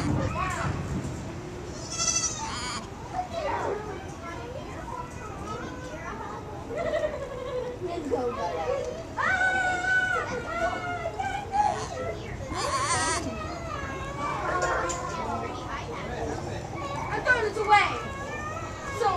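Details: Baby goats making weird noises, one kid trying to ram a little black goat; wavering, strained bleats with harmonic bands repeat through the scene, mixed with people talking nearby.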